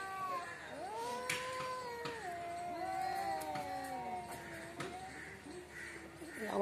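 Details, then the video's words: A cat in front of a home gives one long, sliding meow that falls slowly over several seconds, then quieter overlapping moans, with a low hum and a brief clatter at the end. "বাড়ির সামনে বিড়াল এর jhokra"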